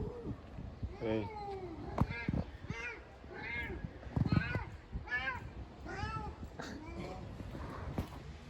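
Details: Cats fighting, with a run of short arched yowls repeated roughly every half second against a noisy, rumbling background.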